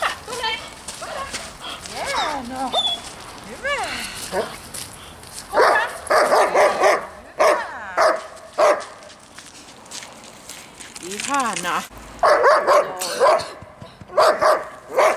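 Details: Dog barking during distraction training at a dog school: bursts of harsh barks and yelping, tonal whines alternate with quieter stretches and human voices.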